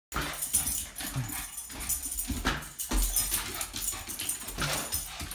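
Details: A Boston Terrier playing with a balloon gives short, low grunts and snuffling whimpers amid rustling and squeaking scuffles.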